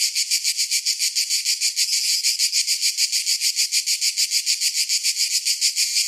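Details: Cicadas singing in summer: a harsh, high buzzing song pulsing steadily about four times a second, with no other sounds.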